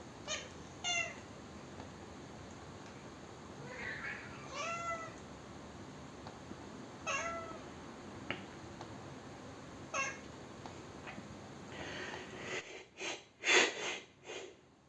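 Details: Gato, a kitten upset on hearing sneezing, frowns, chatters and complains: a series of short, bright, harmonic meow-like chirps and chattering calls scattered across twelve seconds, over steady room hiss, then several loud human sneezes at the end.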